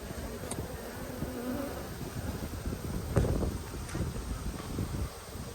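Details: Colony of honey bees buzzing while a hive is opened for inspection in March 2022; a rough, continuous low drone with flickering wingbeat texture and a short thump near the middle.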